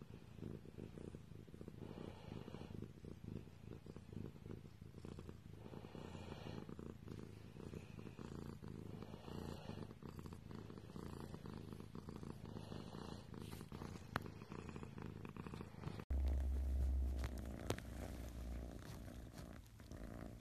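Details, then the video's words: Low, steady purr of a domestic cat, pulsing evenly for most of the recording, then an abrupt cut to a louder, deeper humming rumble near the end. "Cat purring compilation"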